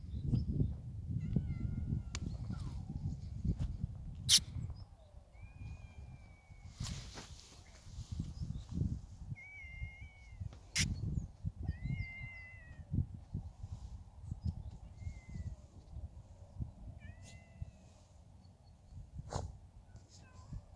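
A French Bulldog puppy gives thin, high squeaky whines over low rumbling handling noise.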